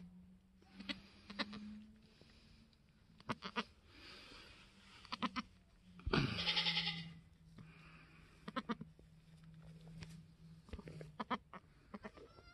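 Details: Newborn F4 Mini Alpine buckling, black with white frosted ears and nose, the third kid born on a homestead on March 13, 2021, gives a single harsh, wavering bleat midway, among handling clicks, a steady low hum and a person talking softly.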